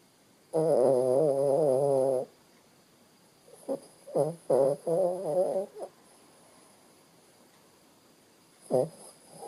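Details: Sleeping Shih Tzu named Bo Bo snoring: one long nasal, tonal snore lasting almost two seconds, then a cluster of four or five shorter wavering snorts about four seconds later, and a final brief snort near the end. A quiet room lies between them.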